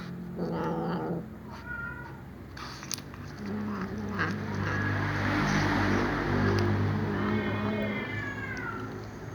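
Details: A cat meows beside a black cat eating fried fish; short meows early, then a long wavering meow near the end, over strong low hum and a noisy middle stretch.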